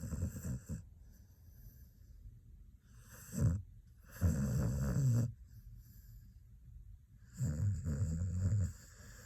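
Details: Sleeping Xoloitzcuintle pet dog snoring: deep, rasping low snores come in three separate bursts, each lasting about one to one and a half seconds, with quiet breathing pauses between them.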